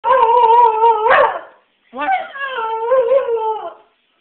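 A basenji yodels with a rich, tonal howl that wobbles up and down in pitch. Two long phrases follow each other after a brief pause, the second starting with a low rising swoop.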